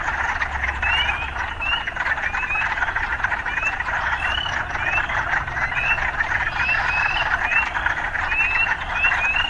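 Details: Frog chorus in an urban setting: dense continuous trilling band with short upward-sweeping chirps repeating roughly every half second, a low steady rumble of city life underneath.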